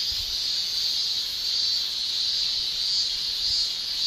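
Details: Male cicadas shrilling in a Japanese summer: a dense, steady high-pitched hiss that swells and fades gently about every half second, with no other animals or voices heard.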